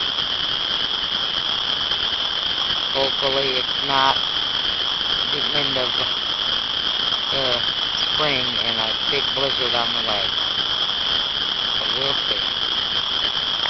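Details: A deafening, shrill spring frog chorus on March 15, 2012, from a field during unseasonably hot weather (70-something degrees), forms a steady high-pitched wall of sound, with a man talking over it and possibly birds in the background.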